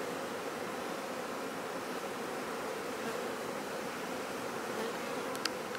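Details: Honey bees kept for commercial bee farming, a softer steady hum of many wings with a low droning tone, and a couple of brief clicks near the end.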